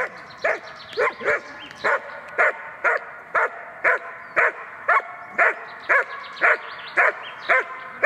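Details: German Shepherd on its handler's command barking energetically at a training decoy to hold an intruder in guard training; deep barks repeated steadily about twice per second, fifteen or so loud, even blasts with little else heard.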